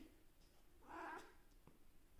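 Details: A Siamese cat gives a single short, mid-pitched meow in a quiet room, greeting its owner in the morning.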